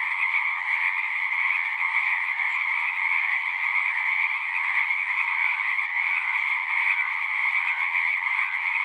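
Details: Many frogs singing together in a steady, unbroken chorus, with dense trilling layered in two bands, one middle-pitched and one higher, and no pauses; no other animals or human sounds stand out.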